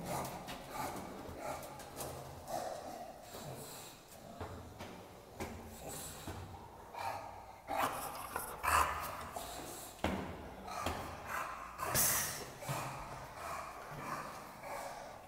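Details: Bulldog worked up while out on a walk, snorting and huffing in rapid rough bursts, several per second at times, with heavy wheezy panting throughout and a few sharper louder snorts.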